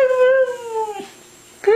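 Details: Siberian Husky 'talking' as if saying 'I love you': a sustained tonal howl that drifts gently lower, a short quiet gap, then a new rising yelp-like onset at the end.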